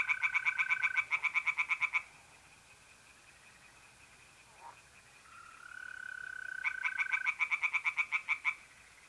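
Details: On a mid-April night in a north-east Italian pond, tree frogs give fast series of sharp pulsed notes at the beginning and end, separated by a quiet gap, over a continuous ringing mole cricket trill.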